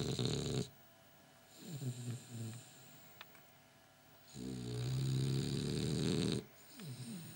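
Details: A French Bulldog, which sleeps with its eyes open, snores loudly in deep, rattling bursts with quiet pauses between breaths.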